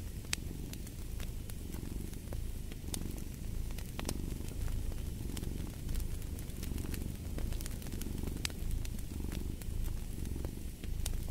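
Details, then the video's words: Low rumbling cat purr rising and falling in regular breath-paced waves, with scattered crackling of a fire in the background. "Fall asleep to the Purring of a Cat & Fireplace"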